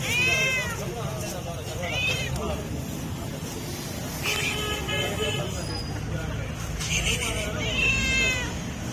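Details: Hungry stray cat calling for food with repeated arched meows spread through the recording, over a bed of human voices and low street rumble.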